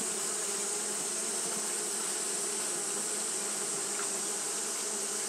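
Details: Continuous hum from Japanese honey bees fanning in hot weather, low layered buzzing that never pauses, set against a constant shrill high hiss.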